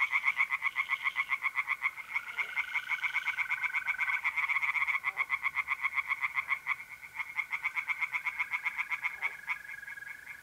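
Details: Mid-April night in north-east Italy: tree frogs in a pond chorus with loud, rapid repeated croaks in shifting overlapping rhythms, and mole crickets trilling continuously underneath.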